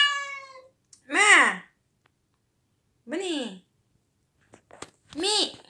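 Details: Mimi, a pet cat frightened by a crying cat toy indoors, gives three loud arched meows, rising then falling, about two seconds apart; a flat, steady crying tone from the toy fades out at the start, with a few faint clicks between calls.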